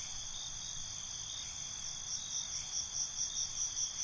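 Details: Night crickets keep up a constant high-pitched drone, and a run of quick pulsed chirps starts halfway through and repeats several times a second to the end.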